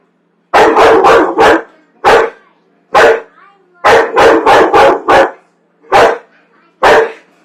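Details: Popcorn-hating pet dog on a Friday night gives volleys of loud, clipped barks, a tight cluster of four, then singles, another rapid run, and spaced barks to the end.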